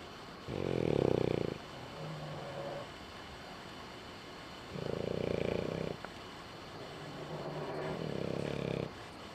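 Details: Sleeping French Bulldog snoring with its eyes open, three loud rasping, rumbling snores spaced roughly four seconds apart, softer wheezy breaths between them, over a steady background hiss.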